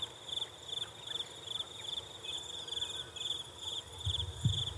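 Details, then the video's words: Insect chirps in short high pulsed bursts, repeated about every half second over a low rumble, with a brief thump near the end. "defferent insects sounds"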